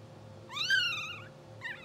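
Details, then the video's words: Two-hour-old English Bulldog puppy from a blue sable litter, dreaming while asleep, gives one loud, drawn-out squealing whine that rises and slowly falls, then a shorter second squeak, over a faint background hum. "Live Puppy Cam 2hr Old | Twitching Sleeping Dreaming Puppies | English Bulldog"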